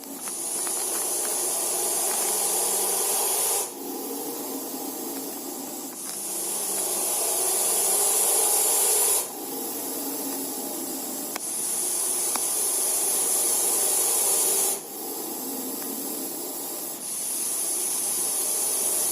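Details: Russell's viper hissing: long, steady breathy hisses of about three to four seconds each, separated by short, quieter breaks, with an even rasping texture throughout and no other sounds.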